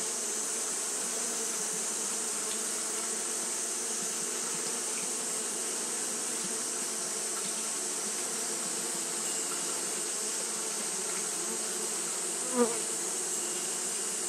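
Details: On a hot day, Japanese honey bees keep up their fanning: an unbroken droning hum with stacked low tones and a bright hiss above, interrupted only by a single short click near the end.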